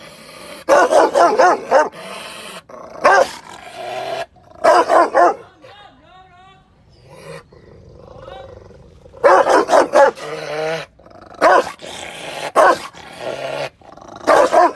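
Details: Angry Rottweiler barking loudly in repeated bursts of rapid barks, broken by a stretch of thin whining and yelping in the middle.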